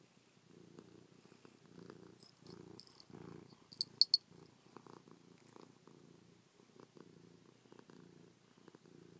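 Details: Chloe the cat, affectionate after a night on her owner's back, purrs in a low pulsing rumble that comes in rhythmic bursts with short gaps, plus a few sharp clicks partway through.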